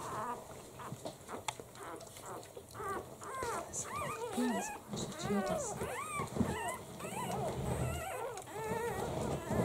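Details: One-week-old Italian Greyhound puppies from a first litter of seven, in their first week of life, squeak and whimper in thin, high cries that arch up and down; the short cries crowd together from the middle of the stretch onward.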